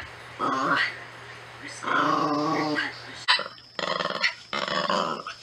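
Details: Natsume the Norfolk Terrier utters two short, harmonic growls, the second longer and more sustained. Clattering, broadband noises and voices follow, with a low electrical hum throughout.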